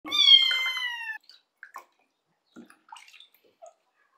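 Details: Rescued, abandoned kitten, full of fleas, crying during its first bath at home: one loud drawn-out falling meow, then brief faint squeaks and splashing water sounds.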